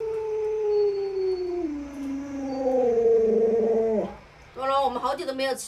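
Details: Luoluo, a pet Alaskan Malamute, howls in a long smooth tone that slides slowly downward, levels off, swells and rises again, then drops away. Near the end a short burst of choppy, talk-like vocalising follows, with a faint low hum underneath.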